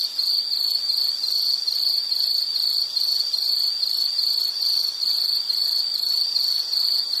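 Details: Loud, high insect chirping in short rhythmic pulses, about two per second, repeated evenly throughout without other sounds.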